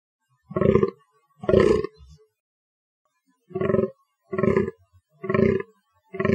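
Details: Hoarse, low grunting bellows from a fallow deer: two close together, a silent pause of over a second, then four more evenly spaced groans.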